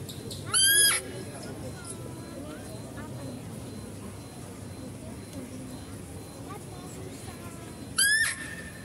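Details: Two piercing, high, rising squeals from a female deer at a zoo, about seven seconds apart, each with strong harmonics, over faint murmuring and outdoor ambience, recorded while a male deer is being fed.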